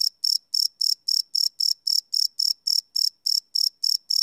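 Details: Chirping crickets after dark, live field recording on a Sony PCM D100: sharp, high buzzing pulses at a brisk, steady beat near four per second, clean and isolated.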